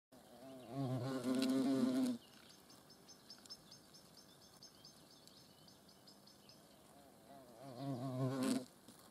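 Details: Hornet buzzing in flight, a low droning hum with rich overtones heard in two bursts, a longer one of over a second early on and a shorter one near the end, with quiet background between.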